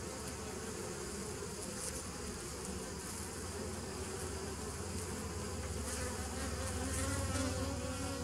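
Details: Continuous droning of bees, 27 September 2018: a thick low hum with a strong deep tone underneath, a fine rasping wash higher up, swelling slightly louder toward the end.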